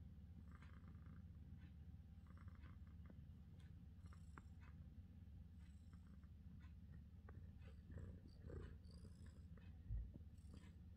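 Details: Relaxed British Shorthair cat giving a low, even purr that runs unbroken for the whole stretch, with scattered light scratching and faint rustling noises above it.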